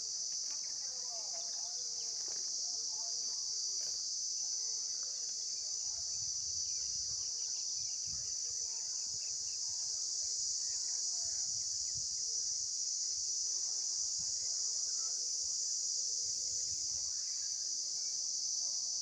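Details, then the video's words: Insects recorded outdoors by an entomologist: a steady, dense high-pitched buzzing drone continues unbroken throughout, with faint bird chirps and soft low rumbles beneath. "Visual Sound effects By Insects"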